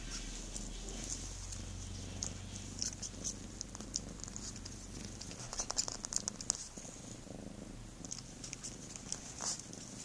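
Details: House cat's deep purr, a strong low drone for the first half that thins out, joined by bursts of quick smacking and licking clicks in the middle and at the close.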